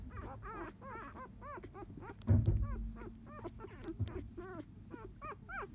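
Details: Four-day-old field-type Labrador Retriever puppies, born to 2017 JFA Grand Champion Biscuit, whimpering while napping: a rapid run of short arched squeaks and whines, several overlapping voices, with a low thump midway.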